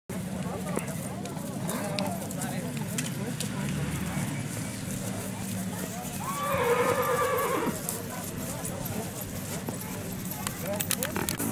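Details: Horses at the village fiesta of Mirandilla in 2020; a loud whinny with stacked harmonics rises and wavers for about two seconds midway, over steady crowd chatter and a low hum.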